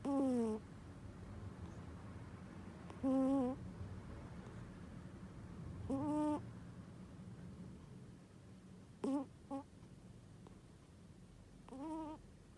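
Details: Domestic cat asleep and snoring oddly: short voiced, squeaky, tonal snores with a slight pitch bend, about every three seconds, plus one quick double snore near the end, over a quiet low hum.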